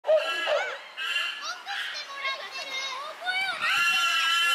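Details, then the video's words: Chimpanzees in an uproar at Tama Zoological Park, Japan, June 2022: overlapping high, wavering harmonic screams and wails rising and falling, several voices at once, ending in a louder sustained burst of shrieking. "The chimpanzees are in an uproar."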